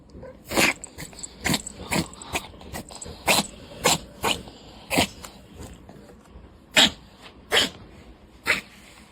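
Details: Four-year-old female Devon Rex cat in a rapid, recurring coughing episode that looks asthmatic, tongue out, nothing brought up: a string of short, sharp, breathy bursts roughly every half second to second for nine seconds.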